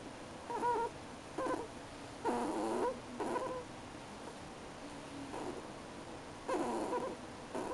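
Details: Crying ferret, a pet, gives a run of brief nasal whines, each under a second, with wavering and slightly rising pitch, repeated in irregular bursts between quiet gaps in an indoor setting.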